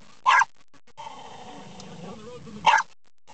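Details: Pet dog barking at moving windshield wipers: two sharp, loud single barks about two seconds apart, with a low engine-like rumble and faint murmuring in between.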